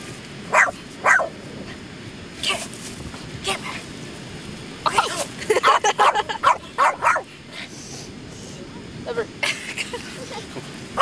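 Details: A dog plays with a feather on sand, letting out brief, high barks spaced a second or more apart, then a denser cluster midway, while people chatter in the background.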